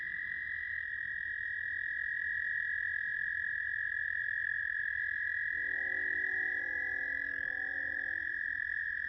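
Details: American toads at South Point, Huron, Ohio, recorded 10 May 2022, giving a loud, unbroken, high-pitched musical trill throughout, with a lower, buzzy, harmonic-rich tone joining in briefly near the middle before fading.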